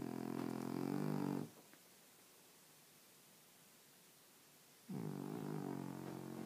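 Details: Snoring French Bulldog during sleep: a gravelly, rumbling inhale snore fades out, about three seconds of near silence follow, then the next raspy snore starts up.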